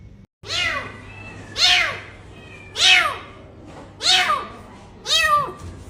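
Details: Cat meowing five times, each a clear, rising-then-falling whine roughly every 1.2 seconds, evenly spaced against a quiet low hum.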